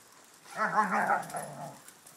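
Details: One of a Schnauzer, a Ridgeback and shepherd dogs gives a warbling, moaning yowl with a quivering pitch, roughly a second long, fading into a softer tail; the background is otherwise quiet.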